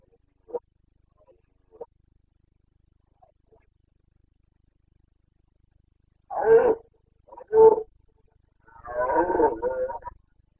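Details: Carpathian red deer stag during the breeding-season rut (boncănit), Bucovina mountains, Romania, 29 September 2022; faint clicks, then two loud gruff bellows about a second apart and a longer rasping, rolling roar.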